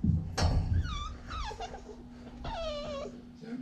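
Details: Siberian Husky puppy playing in a pen, giving three short high whining calls that slide downward, spaced across about three seconds, over low rumbling handling noise.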